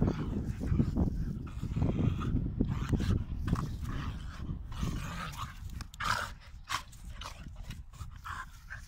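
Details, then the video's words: Playful dog fight: continuous low throaty growls with rapid irregular pulses, about three per second, fading slightly toward the end, where a few sharper snorts and a faint whimper stand out. "DOG FIGHT"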